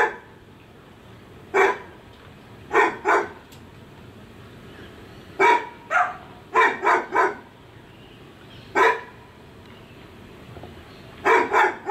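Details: Neighbouring dog barking, recorded with a Sony FDR AX100 camera: loud sharp barks arriving singly, in pairs and in short triplets with irregular pauses, against a quiet hum.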